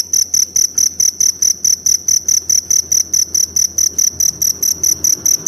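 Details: Jangkrik hutan, the forest cricket, giving sharp high-pitched chirps in an even series, roughly one and a half per second, each a short ringing burst over a quiet low rumble.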